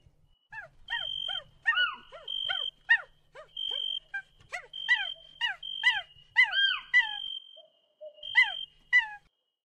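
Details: A monkey in a tree gives rapid, squeaky, downward-sliding chirps mixed with thin, steady high whistles.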